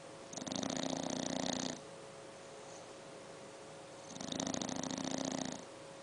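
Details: A 7-month-old English Bulldog puppy snores in long, rasping, rattling breaths, with a quiet pause between each.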